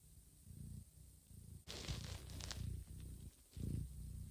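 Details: Domestic mother cat Johanna licking the heads, backs and bellies of her sleeping kittens; deep rhythmic purring in low pulses, interrupted by a sudden broadband rustle and faint licking sounds.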